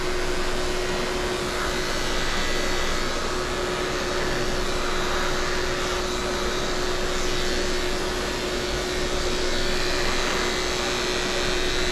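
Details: Steady loud blowing noise like a hair dryer or vacuum during cat grooming, with a constant hum and no animal voice.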